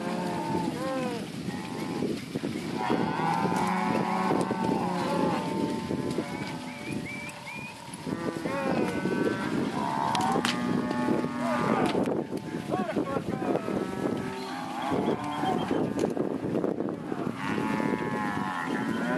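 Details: Large lot of Angus and Red Angus heifers and cows, plus some Jersey and crossbreds, mooing continuously: many overlapping drawn-out harmonic bellows, some rising and falling, with a steady background of herd noise.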